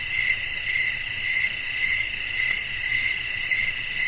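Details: Crickets singing in evening nature ambience with wind, producing a constant high-pitched buzzing trill with gentle pulses about every half second and a low background hum.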